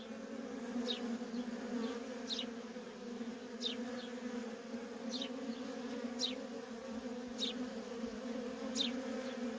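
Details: Feral honey bee colony with worker bees in nonstop traffic; an even, droning buzz holds throughout while sharp, high, descending chirps recur about every one to one and a half seconds.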